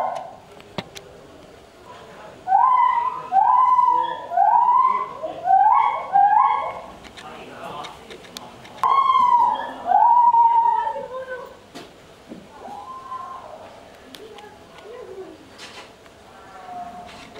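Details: White-handed gibbon (Hylobates lar) at Ueno Zoo, Tokyo, calling with loud, rising whooping notes in a quick series, then a long sliding hoot.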